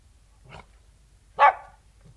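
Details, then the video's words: King Charles Spaniel outdoors, snuffling: a soft breathy sniff, then one loud, sharp bark. "King Charles Spaniel Barking & Snuffling, Exterior"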